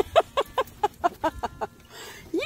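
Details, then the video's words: Tonka, an Alaskan Malamute, unhappy at the car wash and trying to avoid the windows: eight short, evenly spaced harmonic woofs at about four per second, ending in a quick rising whine. "Mad Malamute Thinks He's Getting A Bath At The Car Wash"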